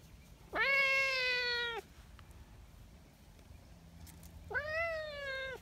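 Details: Nyahha, a sweet-natured brown tabby street cat cared for by the community in Japan, fresh from the mountain, gives two loud meows about three seconds apart, each rising quickly then falling gently; quiet low background noise between them.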